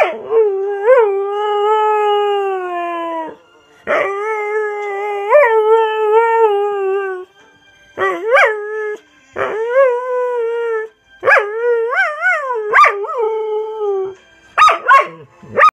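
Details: Border Collie howling along to the Righteous Brothers song Unchained Melody; long sustained, wavering tonal howls with sliding, rising-then-falling inflections, delivered in about six phrases separated by short pauses, with faint music in the background.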